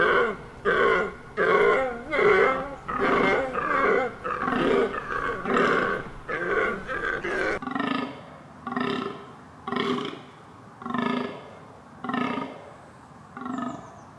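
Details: Deer uttering quick rough grunts, about a dozen in fast succession, followed after a break by slower, deeper grunts spaced about a second apart.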